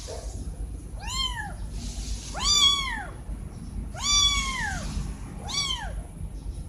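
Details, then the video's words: Two kittens calling out to their mom, wanting food or attention: four loud, arching meows with a quick rise and slow fall, spaced about one and a half seconds apart, faint background rumble. "2 Kittens Meowing Very Loud To His Mom"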